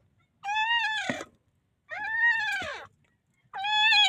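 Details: Newborn puppy in the Philippines calling for help, uttering three arched, whining cries that rise and then sag in pitch, each near a second long with gaps between, faint background rustling.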